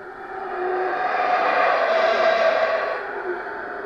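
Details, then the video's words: Howler monkeys at the Lamanai Mayan Ruins site in Belize: a deep, rough, breathy roar that swells over about a second, holds steady, then fades, with a hollow, echoing quality and no other clear sounds. "Howler Monkeys in Belize"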